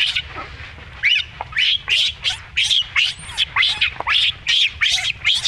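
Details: Shrill, strained screaming from a baby monkey under rough treatment by its mother, each squeal bending upward then down, repeated steadily about twice a second and growing more regular toward the end.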